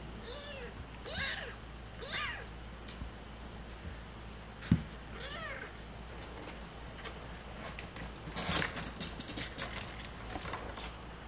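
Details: Stray cat family with kittens, several short meows with arched, wavering harmonics around one and two seconds and near five and a half seconds, over steady low background hum and scattered clicks and rustles.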